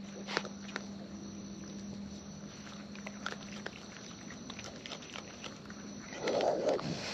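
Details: Raccoons in the wild eating at close range: sparse clicks and light smacking sounds, building to a louder, rougher chewing burst near the end, with a constant faint hum.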